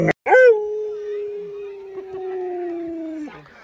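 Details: Luoluo, a pet Alaskan Malamute, reacting while its owner lies sick in bed: a sharp click, then one long, steady, mid-pitched howl held for about three seconds, sinking slightly before breaking off.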